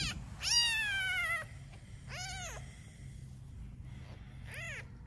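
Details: Cat meowing beside a litter of newborn kittens and their mother cat; four arching, harmonic meows, the first long and loud, the rest shorter and spaced roughly a second apart, over a low steady indoor hum.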